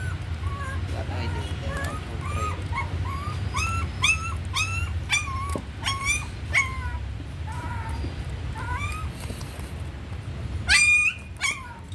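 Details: Young puppy, raised on milk powder, cries in a steady series of short, high, arched whines, roughly two per second, with a sharp squealing yelp near the end. A low hum persists in the background.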